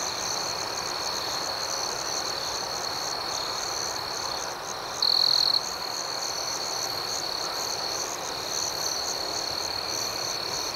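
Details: Crickets at night produce an unbroken high, thin trill with gentle pulsed chirps above it; one louder half-second burst stands out midway through an otherwise even, steady chorus.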